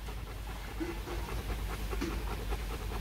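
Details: Bruno, a male stud Rottweiler from a kennel in Thúy Lĩnh, Hoàng Mai, Hanoi, pants in quick, rough, breathy pulses, roughly three per second, over low background rumble.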